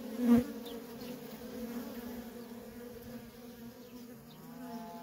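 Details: Worker honey bees trafficking nonstop at a feral colony: a steady droning hum with a low fundamental and a bright harmonic above it, with one louder buzz near the start as a bee passes close.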